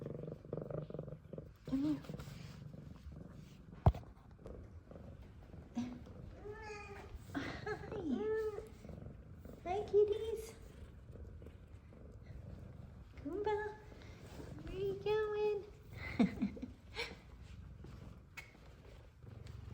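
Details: Two F2 Savannah cats, happy to see their returning owner: one meows in bursts of rising and falling calls while the other purrs low and steadily, as the owner talks softly to them.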